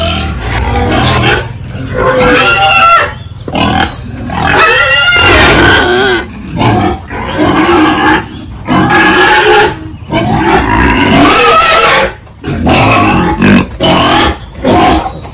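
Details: Pigs on a village farm during a morning feeding and pen-cleaning routine; loud overlapping squeals with harmonic, wavering high cries and rough grunts in bursts, separated by brief pauses, with a steady high hum behind.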